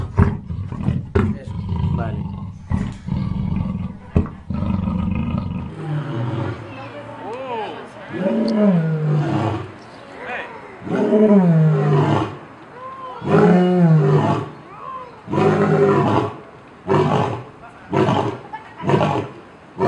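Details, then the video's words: Big cat roaring in a mix of deep, rough calls whose pitch rises and falls, each several seconds long with pauses between; short burst-like sounds and noise come before the roaring. "Suara cheetah, harimau dan sejenisnya " big cat sound""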